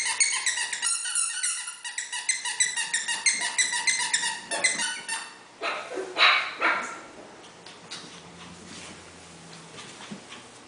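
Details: Havanese puppies, Freya's litter, playing indoors with toys scattered around; a run of high, rapid yappy barks repeated about three per second for five seconds, then scattered squeaks and scuffling.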